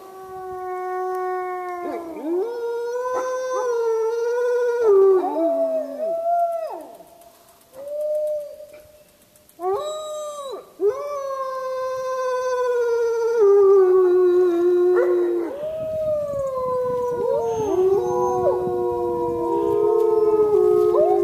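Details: Howling wolves at Lakota Wolf Preserve; a low sustained howl with dipping, wavering pitch, brief quiet gaps, then several voices joining in a layered chorus with yips and rising glides toward the end.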